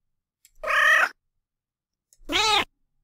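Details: A friendly domestic cat, walking around purring, gives two short, high, chirpy squeaks asking for attention and for its owner to stay in the room.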